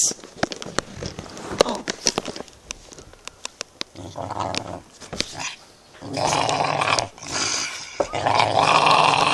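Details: Female dog protecting her bone indoors; scattered clicks and handling noises come first, then bursts of low rumbling growls that swell louder toward the end.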